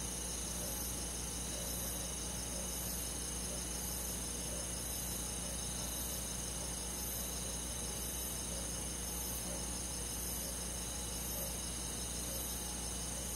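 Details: Crickets and other insects on a summer night in a countryside forest: a dense, steady high-pitched chirping chorus with fast rhythmic pulses of about 200 per minute, over a low continuous hum.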